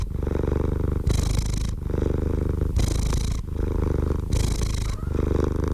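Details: Purring house cat, a rumbling low drone alternating with hissy, breathy stretches about every one and a half seconds, steady and close with no background noise.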